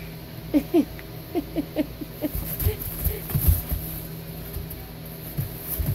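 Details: Two dogs, Ginger and Opie, at play: a quick series of about eight short, high, squeaky yips or whines in the first two seconds, followed by soft thumps and pattering of movement, with a person's voice nearby.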